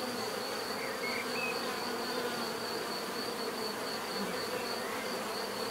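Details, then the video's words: Steady buzzing of bees, a continuous layered drone with a faint high whine above it and a few brief higher tones from passing insects. "bees therapy relaxing natural buzzing sound"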